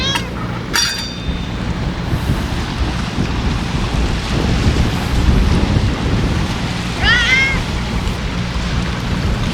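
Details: Stray ear-tipped cats fed outdoors on a windy day; one short arched meow near seven seconds over constant low wind and surf-like rumble, with brief sharp knocks at the start.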